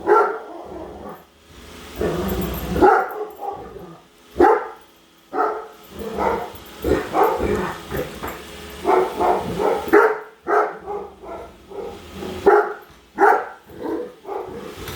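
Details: A Great Dane named Padme keeps barking as she chases a home Roomba; irregular volleys of hoarse, mid-pitched barks, some doubled, sound over a continuous whirring vacuum motor and floor noise.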